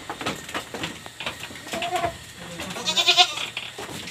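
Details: Pregnant goats on a backyard farm give one short, wavering, nasal bleat near the end, amid clattering and rustling noises.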